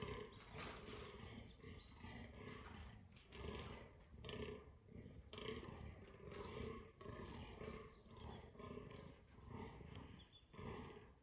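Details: A fallow deer buck groans during the October 2022 autumn rut, giving deep, belching grunts over and over.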